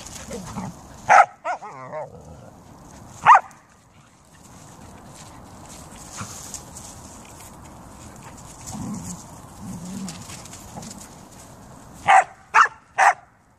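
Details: Pet Siberian Huskies and a Samoyed in fine weather: an isolated bark near the start and another a couple of seconds later, a long quiet stretch with faint low grumbles, then three quick sharp barks closing the clip.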